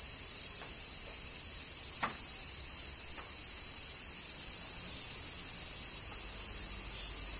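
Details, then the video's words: Cicadas in summer rain in Kyoto, Japan: a dense, unbroken high shrill chorus holding steady throughout, with a few scattered sharp taps like falling raindrops at intervals. "Cicadas Summer Rain - Zen Sounds of Kyoto, Japan"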